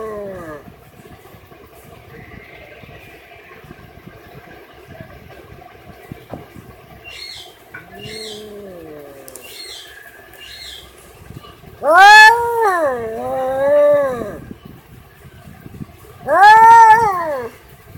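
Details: Cat calling over a noisy background with a low hum, giving a few wavering meows that rise and fall, two louder ones near the end, along with other faint chirpy sounds.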